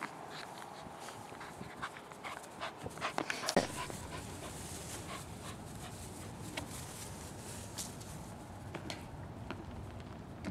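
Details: Two Australian Cattle Dogs, Sammy and Helo, playing together in a backyard: a cluster of short, sharp vocal bursts and panting in the first few seconds, then quieter scattered sounds over a steady, hissy outdoor background.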